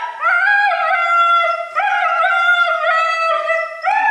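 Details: Siberian Husky yelling during his bath: long drawn-out, strongly harmonic yowls with wavering, slightly rising and falling pitch, in several sustained phrases separated by brief breaks.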